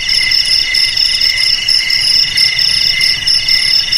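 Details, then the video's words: Continuous shrill chirring of a cricket, meant to scare rats away from home, garage, warehouse and rice field, with regular pulsed beats layered over several high tones and no background noise. "Suara JANGKRIK Pengusir TIKUS Paling Ampuh untuk di Rumah,Garasi,Gudang,Sawah Agar Aman dari TIKUS"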